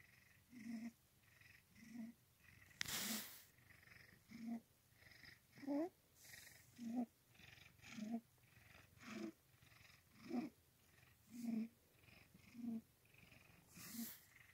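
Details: Domestic cat named Grim purring while lying in a lap: a steady rhythmic purr, each breath cycle swelling and fading roughly every 1.2 seconds, with one brief sharp rustle near the start.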